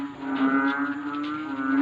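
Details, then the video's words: Many frogs calling at night, loud enough to keep a listener awake for two nights; a steady low droning hum with layered overtones runs unbroken, swelling and fading slightly throughout. "GRABEH SUBRANG INGAY NG MGA PALAKA"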